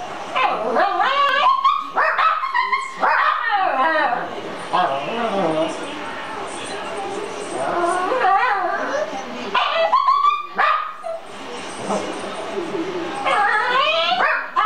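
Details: Shih Tzu in a home reacting to dogs shown on television, a string of irregular yips, whimpers and sharp barks in bursts, mixed with TV sound and some human speech.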